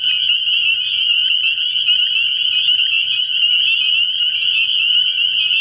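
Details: Spring peepers in full chorus at a nighttime frog pond early in the year, a relentless high-pitched shrilling of overlapping peeps, steady throughout, with a weak low hum beneath.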